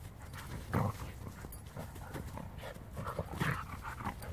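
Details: Siberian Huskies, two males and a female, playing outdoors while fine snow falls; short low grunting and growling bursts mixed with panting, one louder burst early and another near the end, over soft rustling movement.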